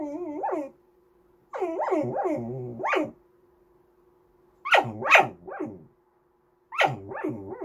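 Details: Goldendoodle puppy whining to beg for snacks or petting: sing-songy, wavering whines that rise and fall in pitch, given in three bursts of several yodel-like notes separated by short pauses, with a steady low hum in the background.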